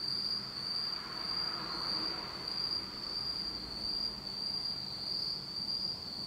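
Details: Insects singing on an autumn night in Japan, in total darkness: a steady high ringing trill that pulses slightly, about one and a half beats a second, with a faint higher tone above and low background rumble.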